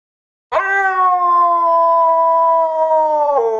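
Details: A husky gives one long, steady, clear howl of about three seconds, held nearly level with rich overtones, then dropping abruptly in pitch at the end. No other sounds.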